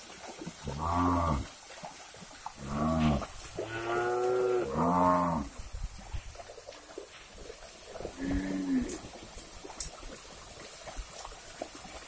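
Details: Several cattle lowing as the herd is driven across a river toward new grazing ground: four deep, rounded moos in quick succession, then a fainter fifth, with soft background noise and a sharp tap.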